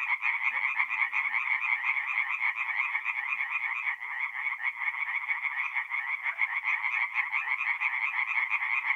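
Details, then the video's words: Night chorus of many tree frogs at a north-east Italian forest pond in mid-April, fast rattling pulses merging into an unbroken, bright nasal drone that never lets up across the whole stretch. "relaxing forest pond by night with singing tree frogs"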